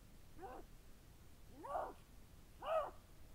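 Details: Lynx giving three drawn-out, arched, nasal cries in quick succession, roughly one per second, rising then falling in pitch with strong harmonics, the last loudest, over quiet low background noise.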